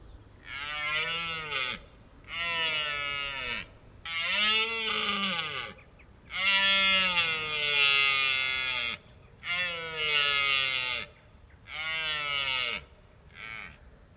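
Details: Red deer rut at Richmond Park: a loud run of about seven harsh, groaning roars, each roughly a second long and separated by short pauses, each bellow dropping in pitch as it fades.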